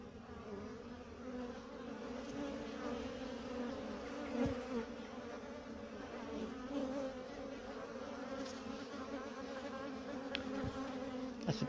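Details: Honey bees at a hive being checked for a new queen's laying, with a male drone just flown in: steady low droning hum with faint passing buzzes throughout.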